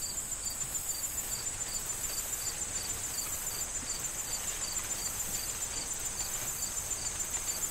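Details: Corn field crickets in fall: rhythmic high chirps repeating a little over twice a second, a persistent shrill insect whine higher still, and wind rustling the corn stalks.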